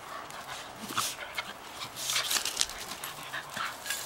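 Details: Female Shetland Sheepdogs roughhousing together in a backyard on a blustery March morning; breathy panting and short whimpering bursts come in quick irregular clusters over steady gusting wind.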